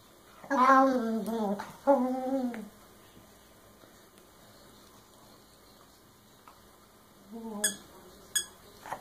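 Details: Scooby, a puppy indoors, throws a tantrum because Rocky won't give up his chew. Drawn-out, wavering, groaning whines slide downward, two long bursts in the first three seconds, then a shorter one near the end with faint clicks.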